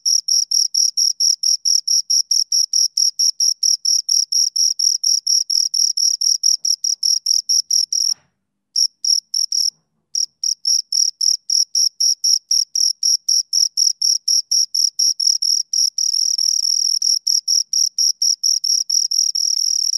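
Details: Shrill chirping of two crickets, regular quick pulses with a couple of brief silent gaps partway through, then resuming and blurring into a near-continuous trill toward the end.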